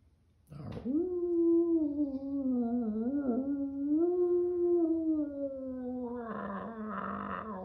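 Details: Rhodesian Ridgeback indoors, tilting its head in confusion, giving a long sustained howl that starts abruptly, holds a steady mid pitch with slight wavering for about six seconds, then breaks into rougher, noisier yowling at the end.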